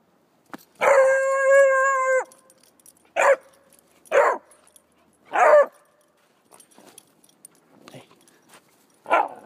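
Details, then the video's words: A feisty young Redbone Coonhound puppy, female, gives a long, steady bay followed by several short, sharp barks. "Penny The Redbone Coonhound Puppy Baying And Biting"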